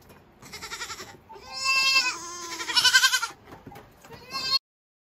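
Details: Young Saanen goat kids, all males born this year, giving a loud wavering bleat that rises and falls over about three seconds, then a shorter cry, with a person speaking gently in between.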